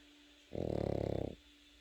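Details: One short, vibrating snore, under a second long, from a Pekingese puppy fast asleep indoors; a low fluttering rasp rising out of near silence and a faint steady hum.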